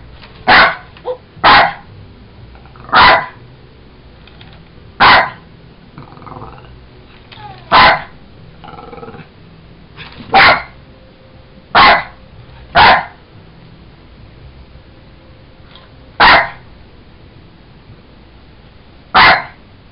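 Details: Sugar the Jack Russell Terrier barks repeatedly while playing with a toy monkey: about a dozen short, sharp barks at uneven gaps of one to three seconds, with faint rustling between them.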